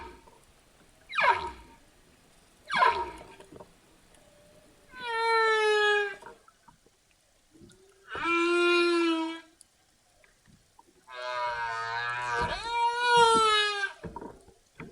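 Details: Humpback whales calling: two short downward sweeps, then three long tonal moans with stacked harmonics, each lasting one to three seconds, separated by quiet gaps, the last wavering and rising.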